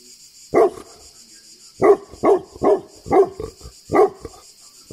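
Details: Tibetan Mastiff in Greece barking steadily, six deep, full barks spaced roughly half a second to a second apart, with a steady faint hiss in the background.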